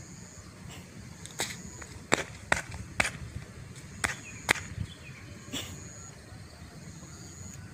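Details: Sharp clicks and snaps, like claps or footsteps, sound irregularly over a low outdoor hum, with no animal voice.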